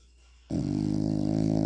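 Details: Sleeping French Bulldog snoring indoors. The dog still snores after rhinoplasty. After half a second of quiet, a sudden steady, rattling low drone with fine buzzy pulsing starts and holds unbroken to the end.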